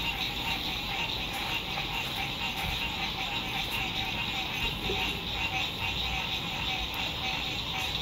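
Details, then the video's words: Frogs singing at sunset beside a lake at an RV campsite in spring 2021, fine weather: a dense, continuous pulsing chorus of many callers, steady throughout, with a faint low rumble underneath. "Sunset Frog Songs"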